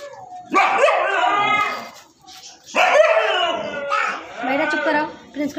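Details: A Siberian Husky gives drawn-out, yowling barks that rise and fall in pitch, in three long bursts.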